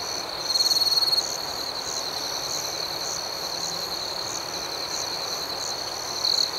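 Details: Night crickets chirping in a rural outdoor setting: a steady high shrill tone under a faster pulsed chirping repeated about four times a second, with a louder trilled burst near the start and again at the end, over a soft hiss.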